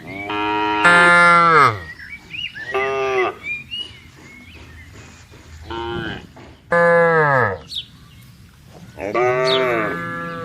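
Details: Farm cattle herded toward their pen, a series of five loud harmonic moos, some long and level, others short and falling, separated by quieter gaps with soft chirping birds.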